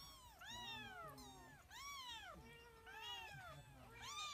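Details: White pet cat giving a run of loud, bending meows, roughly four in as many seconds, each swooping up and down. Softer, level, lower notes sound in the gaps.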